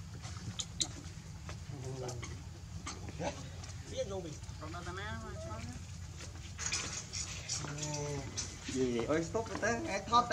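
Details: Baby monkey Leo, hungry and crying to beg its mother for milk: a run of short, arching, wavering cries, some rising then falling, in uneven bursts that grow louder and denser toward the end, over low rumbling background noise.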